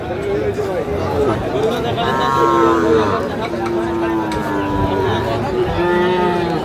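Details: Cattle market in Kurigram, Bangladesh, mid-March 2025, where Sahiwal bull calves are shown to a buyer: long, level, harmonic moos sounding repeatedly, some rising then falling, mixed with men talking and general market noise.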